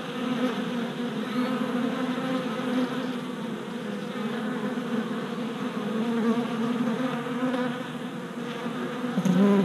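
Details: Worker honey bees on orientation flights around a newly installed package hive, 27 April 2017; a softer, continuous buzz of many wings, holding steady with a closer, louder pass at the very end.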